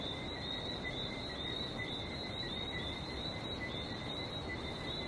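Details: Continuous high chirping from many frogs in Barbados, the notes overlapping into a steady trill, accompanied by steady rushing sea noise in the background.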